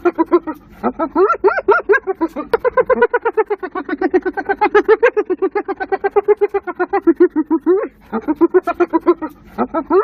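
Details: A hyena gives a fast run of high, nasal yelping notes that rise and fall like a giggle, while people laugh nearby.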